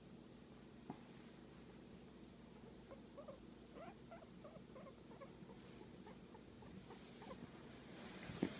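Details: Guinea pig enjoying a massage, giving a run of short, soft squeaky notes in quick bursts through the middle seconds over a low, steady rumbling hum indoors.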